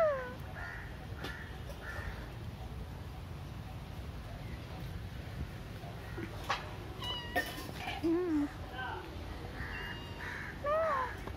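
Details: Street cat in India giving soft, sparse meows near the start and again toward the end, including a short wavering call, set against constant low rumbling and occasional handling noises.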